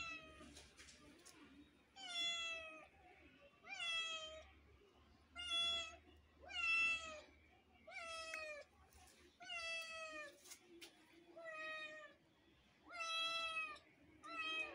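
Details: Neighbour's kitten calling in a quiet setting: nine high, clear meows, each bending up then down, repeated about every one and a half to two seconds with short pauses between.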